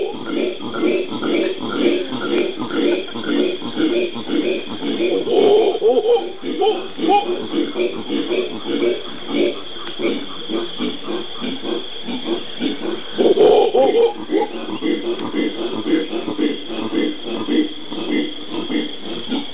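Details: Howler monkeys (genus Alouatta) in Brazil's Pantanal, recorded 13 January 2011: a dense, continuous chorus of low, rough, pulsing grunts that swell and fade, with louder roaring bursts near five and thirteen seconds.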